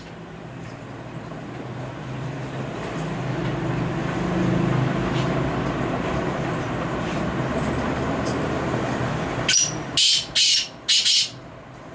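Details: Steady vehicle or traffic rumble, ending in a few sharp, hissing bursts of noise, with no clear animal call.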